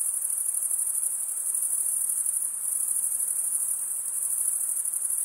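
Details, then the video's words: Male crickets stridulate, running one wing's edge over the comb-like teeth of the other. The result is an unbroken, high, glassy trill that stays even in loudness throughout, with only soft background hiss. "Most relaxing cricket sound for 8 hours"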